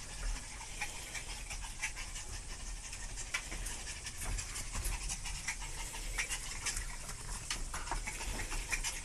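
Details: Panicked dogs breathing in quick, rough, breathy bursts, a steady run of hoarse panting puffs with scattered sharper noisy clicks and scuffs throughout.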